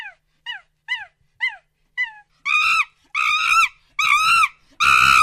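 A monkey gives short, falling, squeaky calls, then louder, wavering, harsh cries.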